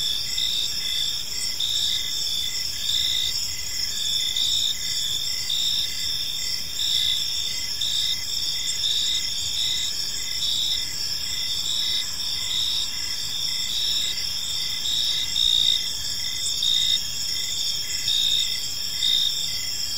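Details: Gentle chirping of many crickets in a tranquil park at evening: unbroken high, ringing trills forming a dense steady chorus, with faint rhythmic pulsing beneath and no other noticeable sounds.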